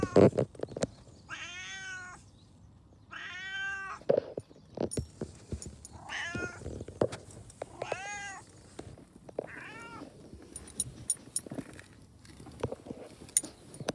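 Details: Domestic cat meowing repeatedly, five clear, drawn-out meows spaced a second or two apart in the first ten seconds, then quiet with faint clicks and rustling.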